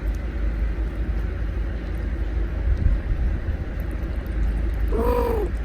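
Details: Mother cat taking and eating the milk bought for her kitten; a single short harmonic meow, rising then falling, comes near the end after several seconds of steady low rumble and faint clicks.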